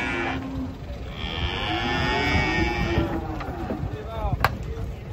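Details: One long, wavering moo from giant cattle being brought down from a truck in the morning, sustained for about two seconds, then trailing lower calls, with clanks and background commotion.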